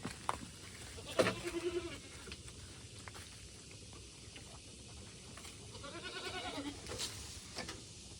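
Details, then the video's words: Domestic goats in a Nepali village being fed khole (cooked grain mash) at home: two wavering, quavering bleats with clear stacked harmonics, one near the start and a longer one around six seconds, over rustling and handling noises. "बाख्रालाई खोले खुवाउँदै"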